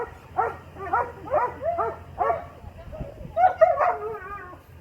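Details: Young Doberman during heelwork with a 14-year-old handler; five harmonic barks at roughly half-second intervals, then a pause and a higher, wavering whining yelp, over a low steady hum.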